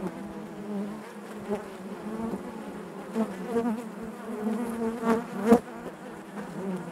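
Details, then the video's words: Honey bees buzzing inside their hive: a dense, steady low hum with layered droning tones, swelling and fading as individual bees pass close, with a few louder buzzy bursts toward the end. "bees therapy hive natural buzzing sound"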